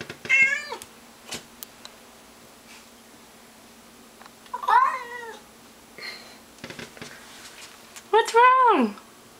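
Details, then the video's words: Pet cat Mr Mittens yowls at a stray cat lurking in the bushes outside, giving three separate drawn meows that rise then fall, spaced several seconds apart, while a person's voice asks what's wrong. "Mr Mittens bellowed a belligerent battle cry briefly"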